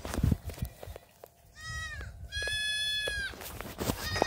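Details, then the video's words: Black goat kids racing about a farm in Gimhae, South Korea; two clear nasal bleats, a short one followed by a longer steady cry, over scuffing and thumping noise, with a faint third bleat at the end. "흑염소 새끼들 질주본능"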